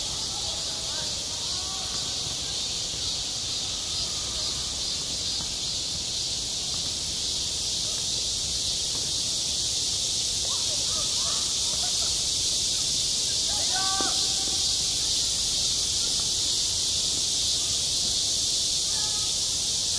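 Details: Summer cicada chorus over a school playground, a steady shrill droning wash without pauses; faint distant voices and brief tonal sounds drift beneath it.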